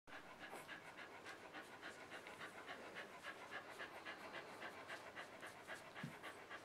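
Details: Three-day-old puppies breathing in rapid, soft, rhythmic pants, about three to four per second. The pants are steady and breathy, with a faint hiss underneath and no other clear sounds.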